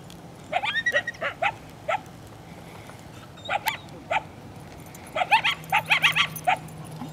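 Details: Coyotes near a probable den, two of a pack of five or six, yipping and howling to draw intruders away, recorded on a handheld camera. Rapid, sharp yelping notes arrive in clusters, some with quavering upper tones, separated by short pauses, over a low hum.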